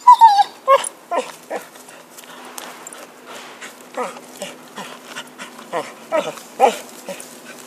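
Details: Pet dog with a stick, a high falling whine at the start followed by a string of short sharp yips and whimpers roughly every half second, with a faint steady hum beneath.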